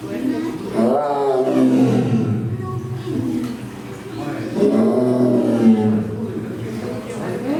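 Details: Amur tiger (Siberian tiger) giving two long, deep roaring bouts with grunting, layered tones, separated by a quieter gap of about two seconds, with people's voices faintly in the background.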